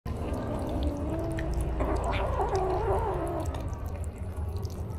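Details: A kitten, described as very sensitive and filmed with an action camera, gives a drawn-out wavering meow of about two seconds that rises and falls, over a steady low background hum.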